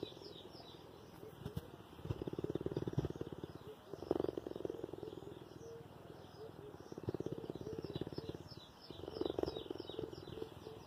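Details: A cheetah purrs affectionately to its human carer in a low, rumbling rhythm of steady pulsing bursts, with birds chirping faintly behind.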